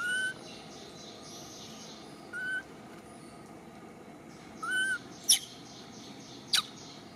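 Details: Baby monkey named Million cries to call her mother Malika, who seems to ignore her: three short, clear tonal coos, each slightly bending in pitch, spaced about two seconds apart, over steady background hiss with two sharp clicks near the end.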